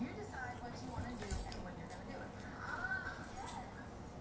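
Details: A female Siberian Husky "talks", as she often does, in expressive, speech-like rising and falling moans and yowls that bend in pitch, coming in uneven bursts over a low background hum.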